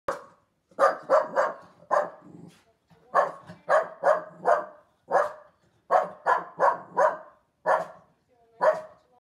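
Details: West Highland White Terrier at home barking at a person on television. Sharp, high barks come singly and in quick runs of two or three, about a dozen within nine seconds, with quiet gaps between.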